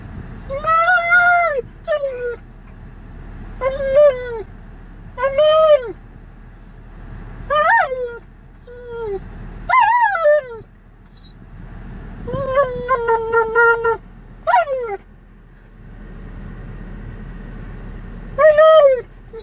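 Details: On a road trip, an Alaskan Malamute gives a long run of tonal, moaning whines, each bending up and sliding down, some short and yelping, others held, with constant engine and road hum beneath.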